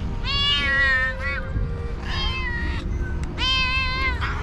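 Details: Hungry cats and cute kittens begging for food: three long, loud wailing meows, each held about a second with a wavering pitch, separated by brief pauses, over low background rumble and a quiet held musical tone.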